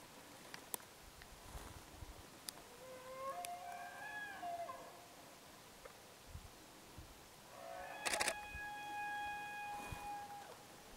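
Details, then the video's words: Wild red deer calling at dawn, around 6 a.m., in the mountains of Jargalant district, Arkhangai province, Mongolia, on 22 September 2019 during the autumn rut. There are two faint, high, whistled bugles, each rising then falling, with gentle outdoor background noise. "Буга дуудах цагаар"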